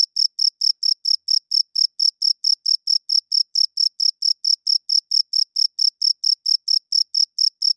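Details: Crickets calling loudly at night, the males rubbing their wings together to attract mates and establish territory; a fast, unbroken run of sharp, high-pitched chirps, about five each second, with a clean, quiet background.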